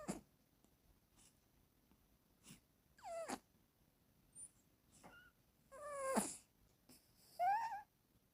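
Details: Female pet cat snoring while dreaming, a real recording: irregular snorty breath bursts, several carrying squeaky whistled tones that rise and bend, about six bursts over eight seconds in a quiet room.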